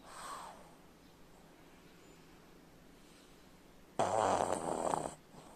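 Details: Sleeping pug snoring indoors: a faint short snore at the start, a quiet pause, then one loud, harsh, rasping snore lasting about a second.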